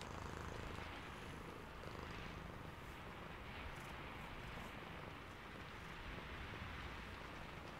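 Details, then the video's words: Low, continuous purring from a sleepy cat, a soft grainy rumble with gentle pulses, set against an even wash of falling rain. "Sleepy Cat + Purring"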